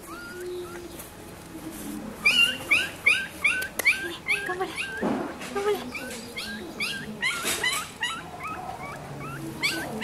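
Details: Black-and-silver Miniature Schnauzer puppies born on 18 May, giving a busy chorus of high, thin, rising whimpers and squeaks, overlapping and repeated rapidly, with several pups calling at once and a brief low human voice midway.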